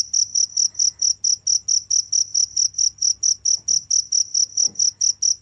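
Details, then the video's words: Insistent high cricket chirps repeat evenly around four per second, with two faint brief thuds or rustles in the background over a low hum. "the sound of crickets"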